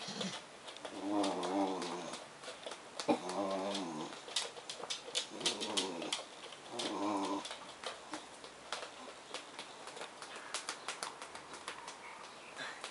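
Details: Black Bedlington Terrier Suki, with liver Bedlington Bailey, greeting English bull terrier Kyle in his crate indoors, making funny noises: several drawn-out, wavering whiny grumbles with layered harmonics, each lasting about a second, separated by short pauses, plus faint rustling and clicks.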